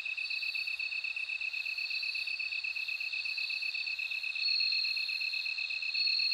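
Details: Ringing, bell-like trills from a bell cricket sit above a constant, rapidly pulsed insect chorus. The bright tone strengthens toward the end.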